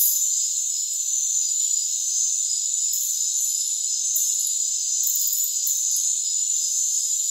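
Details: A constant shrill drone of crickets in a rainforest. Layered high tones ring without pause, and short bursts of higher sizzling chirps flicker in the middle of the stretch.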